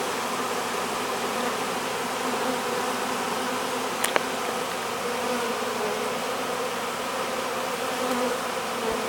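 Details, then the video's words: Honey bee swarm being hived, masses of bees entering the hive; a dense steady buzzing drone, slightly swelling, with a single sharp tap near the middle. "Hiving a Honey Bee Swarm"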